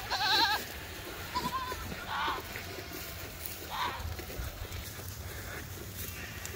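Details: Farm goat herd rushing over an open field to new pasture; a loud trembling bleat opens, followed by shorter scattered bleats and hoof and field noise.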